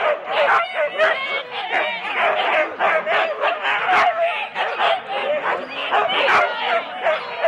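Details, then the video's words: Husky four-dog sled teams at the start, Rendlesham, January 2016: a crowded chorus of high yips, whining cries and quick barks from many dogs, steady throughout, with voices of people in the mix. "4 dog Husky teams - the complete start"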